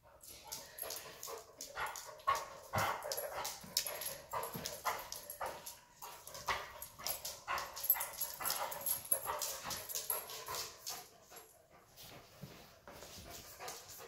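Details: A Weimaraner, excited while playfully nibbling a Black and Tan Coonhound puppy, makes rapid, irregular short yelps and whines, about two per second, among scuffling and play noise indoors.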